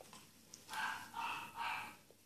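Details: Bichon Frise Daphne during a 05.07.2016 training session, barking right after the spoken Russian command to speak; three bright, clipped barks about half a second apart, followed by praise and a sit command.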